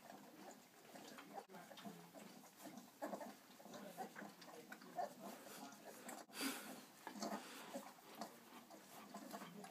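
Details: Four-week-old Irish Setter puppies, ten in all, suckling from Bella; continuous low grunting and snuffling with short squeaky notes scattered throughout, plus a couple of sharp clicks or knocks.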